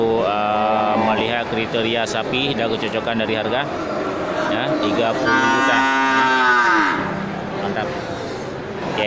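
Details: Grass-fed local slaughter cattle at the busy Geulumpang Payong livestock market, 8 May 2021: loud, rich moos follow one after another, one sliding downward near the end, with people talking in the background.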